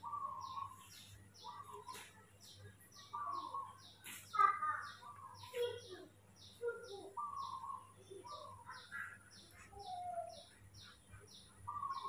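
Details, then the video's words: Baby monkey Mobi, cared for at home, whining after waking in the morning: repeated thin whistled cries, flat or gently falling, roughly every second, with some sharper squeaks, over an even train of high, rapid chirping. "baby monkey Mobi is super spoiled when he wakes up in the morning"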